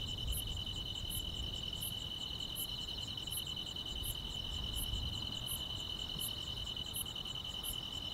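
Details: Summer-night grass insects in a calm rural setting, one giving a continuous shrill trill while another adds evenly spaced sharp high chirps, roughly three per second, with faint low background noise.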